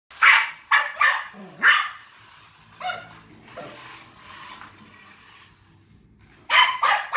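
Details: Maltese named DJ barking while chasing a remote-control cop car; sharp high barks in quick bursts at the start, a pause with faint rumbling, then another cluster of barks near the end.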